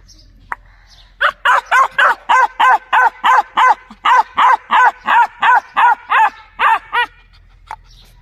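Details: Long steady run of rapid dog barks, evenly paced about three per second, each bark tonal and slightly rising, in a quiet setting.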